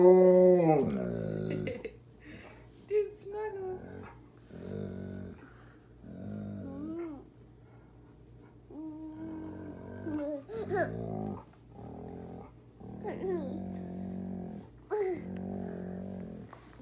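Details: An Alaskan Malamute nuzzling a toddler in bed during their morning routine 'talks' in drawn-out, bending woos and low grumbles, pausing between bursts.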